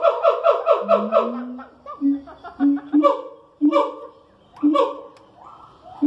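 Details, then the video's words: Siamang calls at the Columbus Zoo in the morning: a quick run of harmonic barking whoops, then separate short hoots and rising wails spaced about a second apart. "Siamang at the Columbus zoo. Vocalization."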